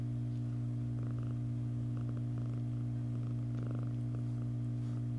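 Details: A female cat purrs while grooming herself indoors: a steady, deep, continuous rumble, with soft licking clicks and smacks scattered through it.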